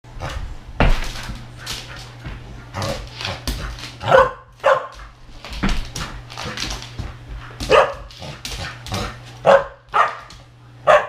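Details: Samoyed puppy during a burst of indoor zoomies, running and playing. Short barks and yips come at irregular intervals over thuds and rustling, with a steady low hum underneath.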